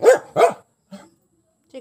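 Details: Pet dog barking on seeing an enemy: two loud, harsh, harmonic barks in quick succession, then brief softer sounds and a faint noise near the end.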